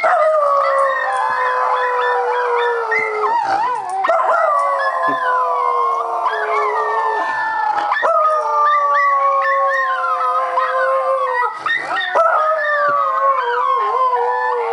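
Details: Pet Schnauzer named Max howling, long sustained howls that slide slowly downward in pitch, with brief breaks and new rising onsets around four, eight and twelve seconds; the howls fill the whole recording.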